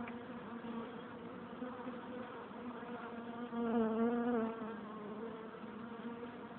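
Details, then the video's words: Many honey bees buzzing at the entrance of their hive, a continuous humming swarm sound; midway one bee passes close, its louder wavering whine rising and dipping for about a second before the steady drone resumes. "Bees in the hive entrance - Bienen im stock eingang"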